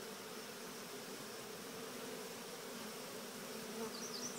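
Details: A swarm of honeybees making its way into an experimental Cathedral Hive, guided gently rather than shaken in, gives an even, continuous droning hum throughout, with a faint high bird chirp near the end.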